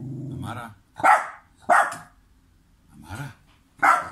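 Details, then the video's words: Pet dog in Serbia barking while its owner pretends not to see him; a voice speaks first, then sharp barks come about every half second to second, with a softer gruff bark between. "Adorable Dog Barking As Owner Pretends Not to See Him"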